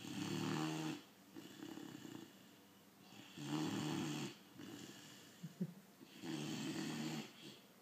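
A Great Dane puppy snores in a slow, regular rhythm, each rough rattling breath lasting about a second.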